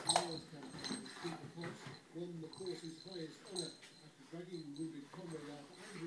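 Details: A young Bernese Mountain Dog bitch, playing hard with her favourite rope toy, makes a run of short, throaty, harmonic grumbles repeated every third of a second, with soft rustling between them.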